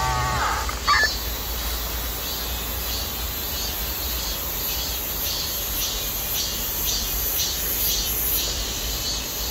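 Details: Cicadas drone in a steady, high-pitched buzzing chorus pulsing faintly about twice a second, ringing through a persimmon orchard in midsummer; their peak chorus is described as a sign that summer is passing.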